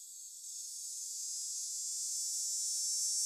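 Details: A cicada's steady, high, hissing buzz, a song usually heard in the hottest hours of summer days, swells slowly louder without a break.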